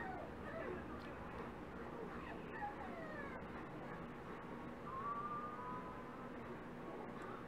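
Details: Dachshund puppies almost five weeks old, from Priscilla and Lilee's litter, giving thin, high whimpering whines that slide upward, the clearest one near the end, over steady background hum and voices.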